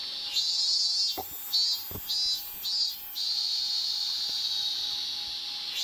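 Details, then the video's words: Cicada singing outside the smoking area of Homeikan, a Meiji-era inn once used as Imperial University lodgings, on 7 August 2020; a loud, sustained high buzzing drone with brief pulsing breaks, a few soft knocks and a faint steady tone beneath. "いくらでもこのセミの鳴き声を聞いていられる気がしますよ。"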